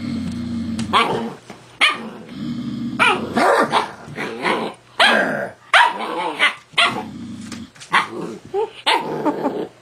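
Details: Young husky barking and grumbling in an argument with its owner, who talks between the outbursts; yowling barks and growly whines come in irregular bursts about every second.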